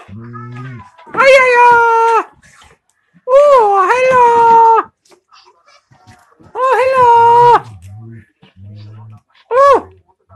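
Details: German Shepherd indoors, playing with an electronic hedgehog toy, giving drawn-out, wavering howl-like moans about a second long, four in a row with pauses, over a low buzzy background and a voice.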